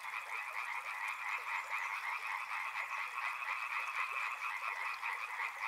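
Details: Crowded frog chorus near a river: fast, rattling croaks from many animals blend into a constant pulsing hum across the whole stretch.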